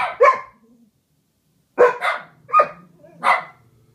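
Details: Two household dogs singing along together, one loud soloist and one harmonizing; a pair of sharp yowls, a pause of over a second, then four more spaced, falling yelps, with a faint low hum underneath.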